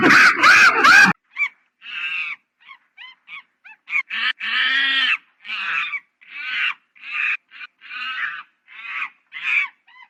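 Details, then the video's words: Monkey call sequence opening with loud pulsed cries, followed by a long irregular run of harsh screeches and brief high squeaks, each burst separated by short silences. "Monkey Funny Sound"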